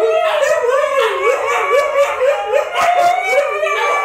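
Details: Several Siberian Huskies, including a small puppy, howling together: overlapping wavering, sliding howls with rising and falling tones and rich harmonics, interrupted by short yips.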